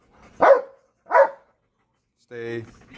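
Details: Belgian Malinois barking at a cat: two sharp, clipped barks roughly 0.7 seconds apart, followed by a person's voice speaking after a pause.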